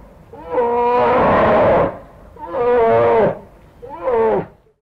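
A brown bear gives three moaning, groaning calls, each shorter than the last, with a rough, harmonic tone that swells and fades over about four seconds.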